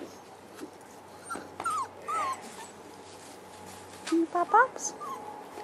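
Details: Five-week-old Boerboel puppies with their mother Cleo, hiding in bushes; short high-pitched whines and squeals, some sliding up or down, one near two seconds and a quick cluster around four to five seconds, over a low steady hum.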